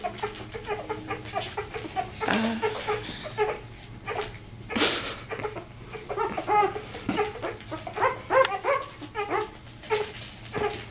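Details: Two-day-old Vizsla puppy, left behind as its six siblings raced to their mother, searching for a way back; thin harmonic squeaks and whines in irregular bursts, with one loud rustling burst midway.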